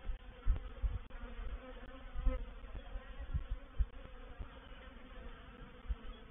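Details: Reproductive swarm of honey bees moving into a bait hive, or swarm trap, recorded 04/07/21: a low, steady hum with faint droning bands, broken by irregular dull thumps and knocks from close by.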